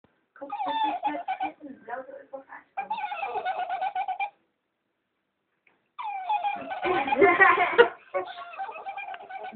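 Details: Female West Highland White Terrier named Amy making odd giggling noises on seeing a cat indoors: bursts of rapid pulsed, harmonic whines and squeals, broken by a pause of nearly two seconds, then a louder, strained squealing run.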